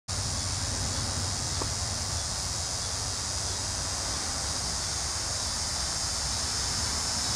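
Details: A Linne's cicada (Neotibicen linnei) in Cape May County, New Jersey sings a steady, high, whining buzz that never breaks, over a low traffic rumble.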